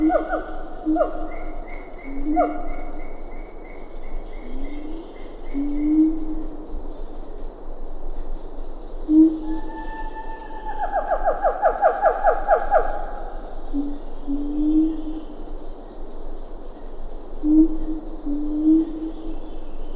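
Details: Siamang in Ketambe Forest, lar gibbons in the background: scattered falling whoops and low booming notes, a fast trilling burst midway, and an unbroken insect drone.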